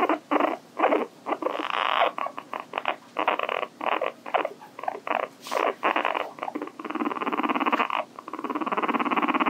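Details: Hii-chan, a pet guinea pig at home, gives a steady run of rapid buzzy pulses, broken into choppy bursts early on, then a longer continuous vibrating rattle toward the end, with a faint short squeak midway.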